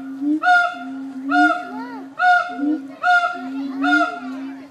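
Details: Captive siamangs at Nashville Zoo: five loud, ringing bark-like hoots roughly one second apart, each with a rising inflection, over a continuous low, wavering drone.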